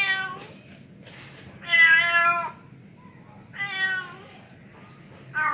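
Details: Male pet cat calling for a female: three drawn-out, wavering meows separated by quiet gaps, the middle one loudest, over a faint low room hum.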